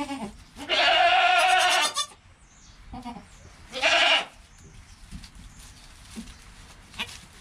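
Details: Goats just after kid Joel's birth, mother Penny present: two loud, strained bleats, the first over a second long and the second shorter, then quieter rustling and faint calls.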